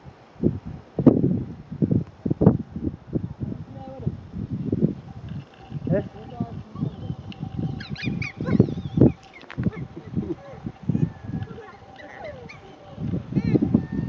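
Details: Geladas (Theropithecus gelada) grooming in the Simien Mountains, Ethiopia, 28 July 2015, afternoon, give a rapid stream of low, nasal grunts and honking contact calls with a speech-like rhythm.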